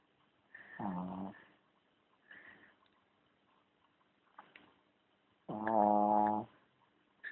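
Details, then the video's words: Charlie, a dog, snoring: two low, buzzy, harmonic snores about five seconds apart, each lasting under a second, with faint soft clicks and rustles between them. "Charlie Snoring"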